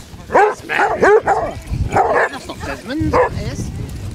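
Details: Basset Hounds on a pack walk of 16 hounds over 4 miles on Marlborough Downs, North Wiltshire, 4 December 2016, give loud baying barks: rising-falling yowls in a quick run, then a drawn-out howl, with people talking nearby.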